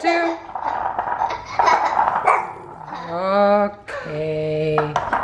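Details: Hercules the Bulldog playing with a skateboard indoors; drawn-out harmonic vocal sounds, first a wavering one then a steadier lower one, against a person's excited speech and laughter.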